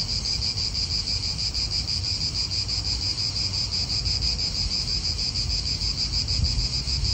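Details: Cicadas in an Italian park, a continuous piercing buzz with quick rhythmic pulsing, set against wind and low background rumble from nearby cars.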